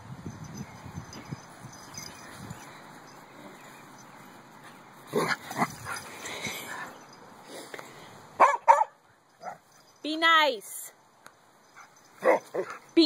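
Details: Dogs playing roughly indoors, puppy zoomies and leg biting; scattered short barks, then a high, wavering whining yip, followed by more sharp barks, while people talk over the play.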